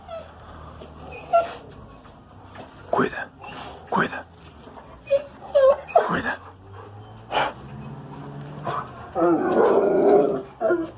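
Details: An 11-month-old male Rottweiler barks in short, deep, forceful single woofs spaced irregularly, warning of a strange noise. A person's voice and a few soft whines are heard between the barks.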